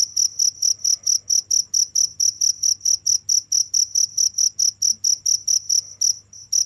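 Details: Shrill cricket chirps pulse about four times a second, each a short bright trill, with a short gap near the end before the chirping resumes; low hum in the background.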